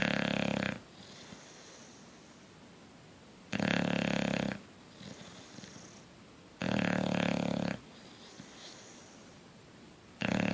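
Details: Bulldog snoring in its sleep: loud raspy snores roughly every three seconds, each about a second long with a throaty buzzing rattle, near-silence between breaths.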